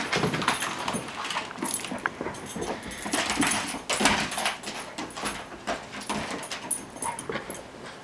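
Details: Six-month-old puppy playing with a toy indoors; thin high whimpers and snuffling breaths mixed with busy rustling, thumping and chewing noises of play throughout.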